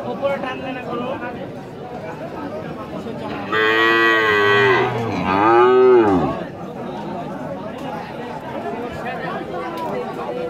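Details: At a busy Rajshahi city cattle market in Bangladesh, a Holstein Friesian cow bellows a long two-part moo, the second part rising then falling, amid constant crowd chatter and talking.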